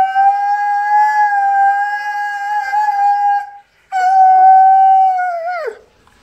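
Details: Alaskan malamute howling along with a passing ambulance siren, two long steady pure-toned howls, the first about three and a half seconds, the second ending in a downward slide.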